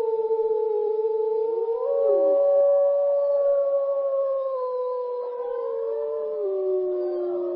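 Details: Several gray wolves howl together in a forest in long, smooth, overlapping tones that slowly rise and fall.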